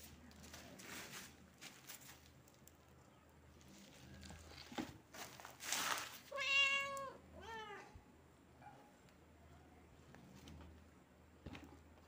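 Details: Kitten meowing indoors: a loud drawn-out meow followed quickly by a shorter second meow, both bending down in pitch, amid scattered rustles, taps and bursts of handling noise.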